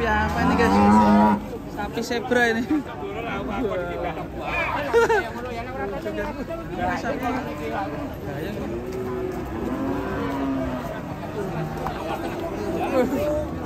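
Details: Agitated cattle running loose: a loud low moo in the first second gives way to a jumble of overlapping wavering calls, with chatter and music in the background.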